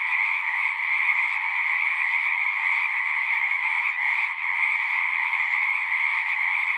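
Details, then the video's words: Frog chorus from a pond within a horse pasture, recorded with a Zoom; constant high trilling from many frogs at once, with a brief slight dip around the fourth second before resuming full strength. "Frogs singing"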